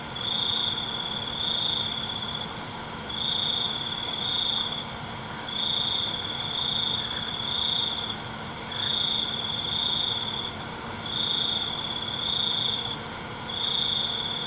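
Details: Crickets singing at night: around ten even, rhythmic bursts of high, ringing trills, each lasting about a second, over an unbroken shrill background drone of other insects.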